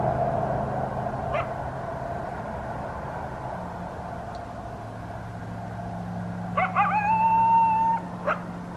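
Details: Coyote calling around 5 am on Christmas morning in southern Arizona, late 2019. A steady low hum fills the background, with brief faint yips near the start and a single rising, drawn-out howl lasting about a second and a half near the end.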